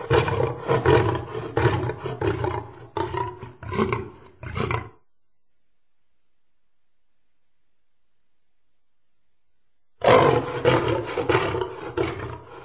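A lion roars deeply and gutturally, the long opening roar trailing into shorter grunting bursts.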